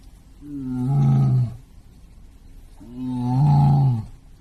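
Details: White tiger in Hirakawa Zoo, Kagoshima City, Japan, recorded September 2024, giving two long, low, groaning calls about a second each, swelling then dropping, separated by a short pause.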